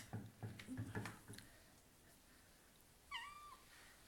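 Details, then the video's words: Indoor cat talking: a burst of low thumps and handling noises opens, then after a pause one clear, sustained meow with a gentle downward finish. "Mia the cat talking"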